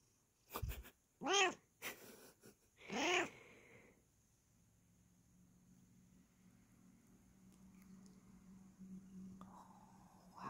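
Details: Bengal cat indoors, enjoying being scratched: two short, harmonic meows, each rising then falling, the second louder and longer, followed by a quiet low hum.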